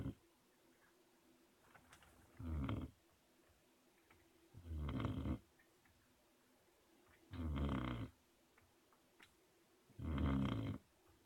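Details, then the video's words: Puppy asleep, snoring heavily: deep rasping snores roughly every two and a half seconds, four in a row, each loud and gravelly, with near silence in between. "Snoring puppy"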